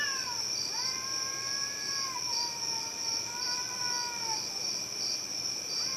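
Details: Cats producing a horrible noise: sustained nasal yowls with a rich, harmonic tone that sag and waver over several seconds, then a fresh rising cry at the end, over a continuous high insect-like whine.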